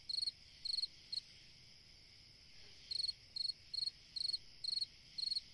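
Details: Cricket chirping on a summer night: a few quick high pulsed chirps, a silent gap of nearly two seconds, then regular chirps about twice a second, with a steady high hum beneath.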